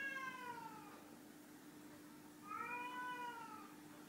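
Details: Ginger tabby house cat Chai, playing a shell game to find hidden food, gives two drawn-out meows about two seconds apart, the second rising then gently falling, with a constant low hum in the room.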